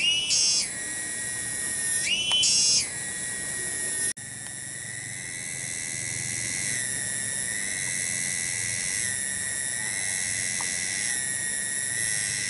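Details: A single cicada (tonggeret) in a village garden at Kampung Bunder, Cibening, Bungursari, sings loudly: two quick upward-stepping shrill phrases, then a long steady high-pitched buzzing drone with faint wavering, no other sounds.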